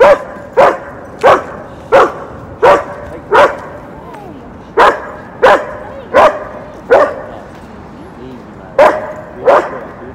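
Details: Aggressive three-year-old female German Shepherd that lunges at other dogs, barking in sharp, loud single barks repeated roughly every half second to second, with short pauses and background music.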